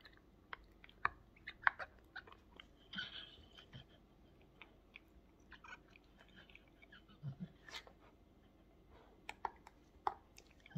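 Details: Close chewing from a Staffordshire Bull Terrier in a small room: crisp crunches and wet mouth clicks in uneven bursts, around a hundred per minute, with brief pauses between mouthfuls.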